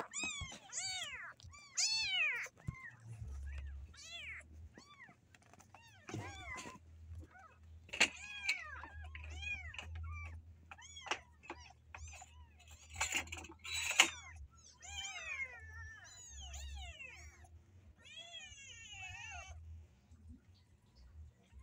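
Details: Caged kittens trying to escape keep up a dense chorus of thin, rising-and-falling meows, calls overlapping with barely a pause, while low thumps and rattles of the cage sound underneath.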